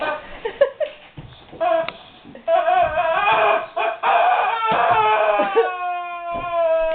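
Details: Guard dog whimpering at a squeaky toy: rough, scratchy squeaks and noisy bursts at first, settling into a sustained, clear, high whine in the final seconds.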